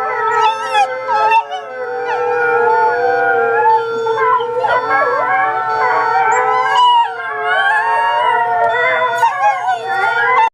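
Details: A wolf hybrid puppy howls along to an alarm clock in the morning, in long, wavering tones that slide up and down and overlap with other voices.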